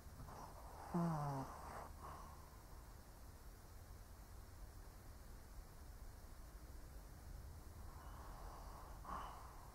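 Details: An old Shih Tzu sleeping and snoring. A snorting, grunting snore comes at about one second, then quiet breathing, and a softer breath near the end, all over a low steady hum.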